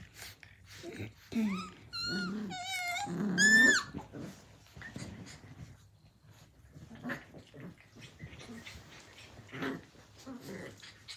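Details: Australian Cattle Dog puppies at play, blue heelers from Tin Roof ACDs in 2020: a burst of high, wavering yelps and whines with clear rising and falling tones, then quieter growls, snuffles and scuffles.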